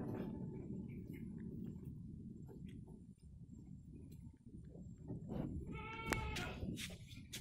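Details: Active kampung goat, a Javanese village goat, heard mostly as low rumbling background noise before one short, nasal, harmonic bleat rises near the end of the clip.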